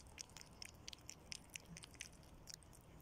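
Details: Nutria chewing spaghetti up close: crisp, wet clicking bites about three or four per second, sharp and bright, over a quiet low room hum.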